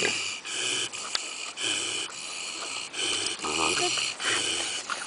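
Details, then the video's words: A Kunekune pig sleeping at Willowbank Nature Reserve in Christchurch snores in slow, regular rasping breaths, each a broad wheezy rush lasting under a second, repeating roughly every second with short quiet gaps between. "Fat Snoring Pig"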